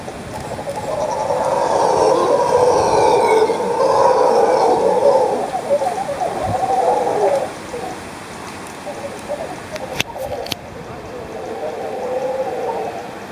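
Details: Howler monkeys roaring from trees on the slopes of Maderas volcano near Finca Magdalena, Nicaragua, loud enough to be mistaken for cows or buffalo; a deep, rough, sustained chorus surges for about seven seconds, drops away, then swells again near the end.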